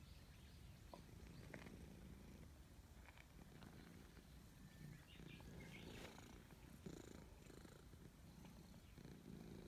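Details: A gray stray cat purrs loudly with pleasure while being petted: a steady, low, rumbling drone that runs almost unbroken, with faint rustling and scratchy handling noises on top.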